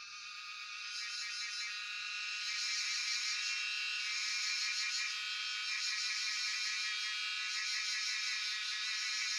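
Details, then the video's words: Cicadas known locally as Jhyaukiri, Shivapuri National Park, Tarkeshwor, cellphone recording; buzzing song swells in loudness over the first three seconds, then holds as a shrill pulsing whine with quick regular throbs. "Sound of Cicadas (Jhyaukiri)"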